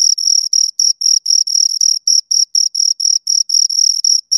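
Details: High-pitched cricket chirps from a pair of crickets, longer trilled pulses with brief gaps, roughly four a second, sharp and clear against silence.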